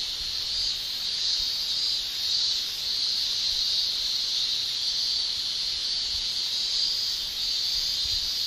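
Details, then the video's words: Male cicadas in a Japanese summer shrill by buckling their tymbals, making a steady, unbroken high-pitched hiss that holds level throughout with only slight swells in loudness. "Japan Summer Cicada Shrilling"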